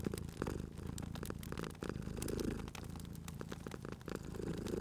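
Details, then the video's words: Cozy scene of a sleeping cat purring at a fireplace; a deep, continuous vibrating purr with gentle breath-by-breath swells sits under a steady scatter of crackling fire clicks. "Cute Purring Cat at a Crackling Fireplace"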